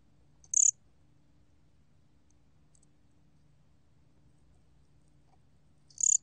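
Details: Gom-gwitturami cricket from a 2020 recording: one sharp, high, pulsed chirp, then a long quiet pause of over five seconds before a second chirp, with only a faint low drone between.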